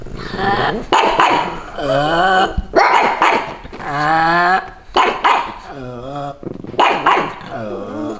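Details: Two pugs dressed in Santa costumes bark to defend their territory against bleating sheep; repeated harsh bursts, each about a second long, with wavering, howl-like tails, coming roughly every one to two seconds.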